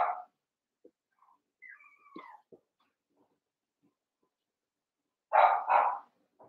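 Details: Young Cavalier King Charles Spaniel puppies playing together in a pen: a short bark, then faint thin whines sliding down in pitch, quiet for a while, then two quick, sharp barks in close succession.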